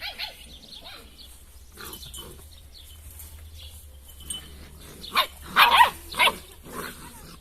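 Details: Drahthaar (German Wirehaired Pointer) puppies, shown one after another, a male pup among them: after a few quiet seconds of faint chirpy background, a cluster of short, sharp, high yelps and yips bursts out near the end, closely spaced.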